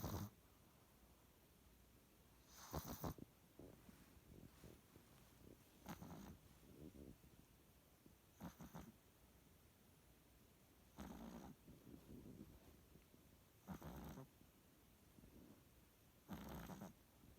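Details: Pug snoring in its sleep: faint, rasping snores roughly every two to three seconds, mixed with softer snuffling breaths and a constant low hiss.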